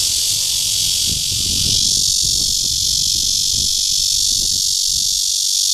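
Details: Loud, unbroken, high-pitched rasping drone of the red-veined bear cicada (Cryptotympana holsti) in courtship, recorded at Guangming Park, Zhongli, Taiwan. A light low murmur of distant noise runs underneath.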